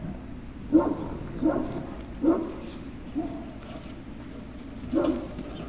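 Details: Great Dane puppy at Puppy Hill, recorded 3 June 2019. Five sharp little yelps come in a quick run, four close together and then one after a short pause, over a soft constant background hum.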